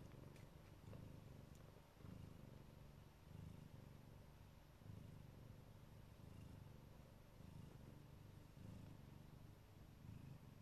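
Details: Siberian (Neva Masquerade) mother cat purring while lovingly protecting her kittens; a low, steady rumbling purr pulsing in long breaths, each swell lasting about a second with brief dips between, no other clear sounds.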